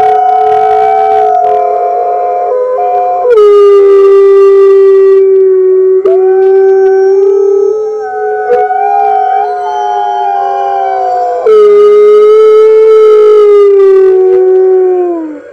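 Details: Red wolves at the NY Wolf Conservation Center joining the center's other wolves in a morning chorus, March 15, 2013, captured by webcam: several loud, overlapping long howls holding steady tones, some sliding, with rich harmonics and fresh voices entering partway through.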